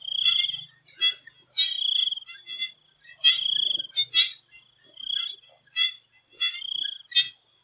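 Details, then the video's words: Frogs in a Thai swamp before sunset: repeated bursts of rattling, pulsed calls roughly every second, some longer drawn-out trills, over a constant high-pitched insect drone. "The Relaxing sound of swamp frogs"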